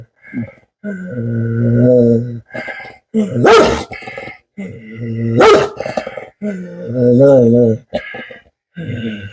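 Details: Veeran, a Rajapalayam dog from Tamil Nadu with a history of biting, growls in anger and trembles as people try to leash him. Low, sustained growls swell and fade in long bursts, broken by two sharp barks. Quiet talk runs between them.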